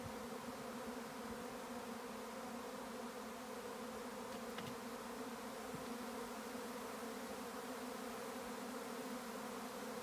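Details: A swarm of bees in May on a regenerative farm in County Kilkenny, Ireland: a dense, continuous droning hum with steady low tones that never pauses, and a couple of faint clicks.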